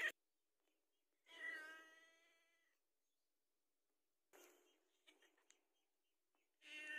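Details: House cat asking for food: one soft, drawn-out meow that fades away, then faint scattered rustles and clicks, and the start of another meow at the very end.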